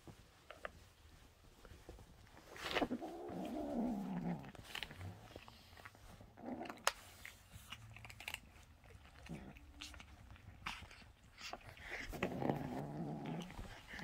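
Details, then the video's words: Cupcake, a female domestic kitten, grumbles while eating her treat beside other kittens indoors. Two low, rough, rumbling bouts, one near the start and one near the end, with faint clicks and handling noises in between. "Cupcake is a little grumbly when she's eating hers."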